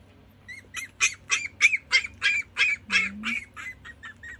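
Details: Chihuahua puppies between one day and seven weeks old; a run of about a dozen short, high, squeaky cries repeated roughly three times per second, rising and falling slightly, over a faint low hum.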